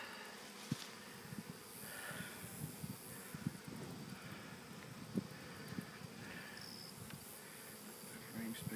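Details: A honey bee swarm caught in August, the third swarm in under two weeks during unusually active weather, gives a steady, dense low buzzing hum with scattered soft clicks and knocks from handling frames.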